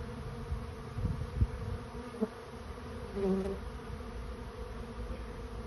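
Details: Swarming honey bees looking for a new home make a low, rumbling hum of many wings. Scattered clicks and brief knocks sit over the drone, with a short louder stretch near the end.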